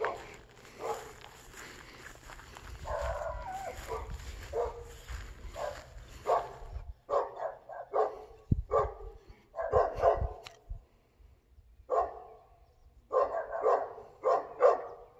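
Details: Dog in Volcano, recorded July 7, 2022, giving a long run of barks, muffled and rumbling at first, then sharper, spaced barks in short bursts over steady low background noise.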